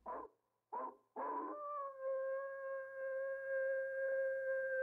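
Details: Three short barking yips from a coyote, then a sustained, level howl held smoothly for several seconds with rich overtones.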